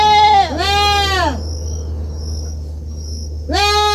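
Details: Kid goat at a farm giving a quick pair of strained, quavering bleats at the start and another bleat beginning at the end, a steady low hum and high whine underneath.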